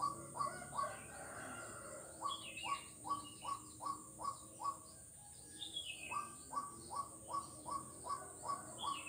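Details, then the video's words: Frog calling on Jalan Kolonel Sugiono, Kuala Kapuas, Central Kalimantan, on 4 November 2021: a steady run of short, rising, knocking notes, about two or three a second, pausing midway, with higher descending whistles from other callers above. "Suara kodok yang menarik perhatian"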